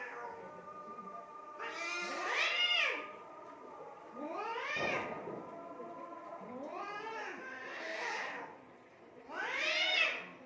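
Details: Domestic cats fighting in Assam, India: drawn-out yowls with rising then falling arched harmonics, around four bursts over ten seconds with quieter gaps between.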